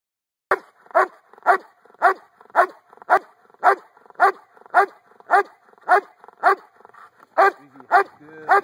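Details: Giant Schnauzer barking loudly in a steady run of about fifteen deep, gruff barks, roughly two per second, evenly spaced, with a brief whine near the end.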